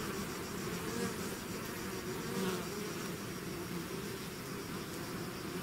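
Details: Honey bees swarming out of their hive, a dense steady drone of overlapping buzzing wings with wavering hums around low and mid pitches, continuous without pauses.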